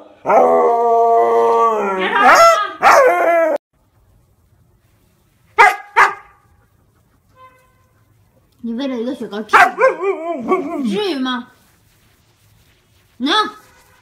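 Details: Siberian Husky that fears water, protesting noisily while being bathed: long, wavering, tonal howls and yowls with many harmonics, broken by sharp yelps and pauses, ending in a short whine.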